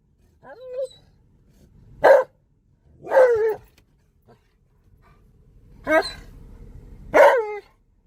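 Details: Alaskan Malamute excitedly howling in a car while driving around a park: four drawn-out, wavering woo-like howls spaced a second or more apart, with quiet gaps between them.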